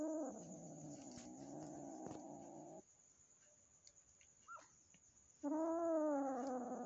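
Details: House cats during a frightened new kitten's first meeting with the resident cat; a low rasping growl for nearly three seconds, a short pause with a faint squeak, then a loud, slowly falling yowl.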